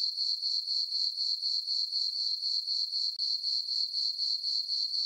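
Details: Summer-night crickets in a moonlit farm meadow, their shrill continuous chirping throbbing in a regular rhythm of roughly four pulses each second, nothing else audible.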